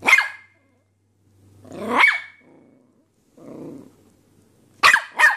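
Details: Puppy barking in a cute puppy compilation: short squeaky yaps with a high whining edge, one at the start, one at two seconds and a quick double yap at the end, with a soft low growl between.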